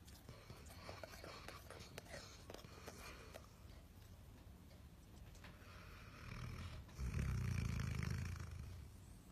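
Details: A sleeping dog snoring loudly, a steady low rumbling breath that swells into a long heavy snore from about seven to nine seconds, with faint whispering and rustling in the background.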